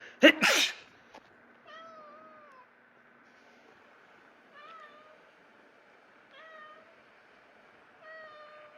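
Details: Koppi, a rescue cat in Japan, startled by a person's sneeze: a loud sharp sneeze opens, then four drawn-out, wavering meows follow, roughly every three seconds, in an otherwise quiet room.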